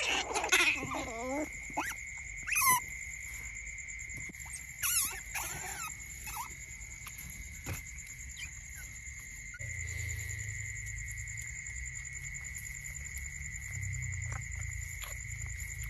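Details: Hand-reared baby smooth-coated otter pups kept as pets give sharp, high squeaks and wavering chirps over a steady electrical whine.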